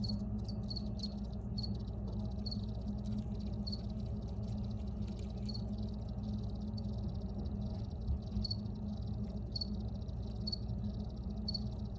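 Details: Crickets chirp in short high pulses, bunched at first and then spaced about one per second, above a dense low rumbling background.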